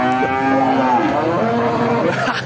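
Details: Simmental cattle at a livestock market in Bekonang, Sukoharjo, Central Java, Indonesia; a full, drawn-out moo that starts low and rises slightly in pitch toward the middle before tailing off, with faint background music.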